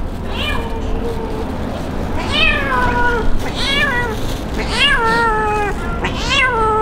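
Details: Abandoned kitten crying in the street before rescue: a series of high, harmonic meows, each starting with a rising onset and then falling, about five cries spaced roughly a second apart, over steady low street rumble.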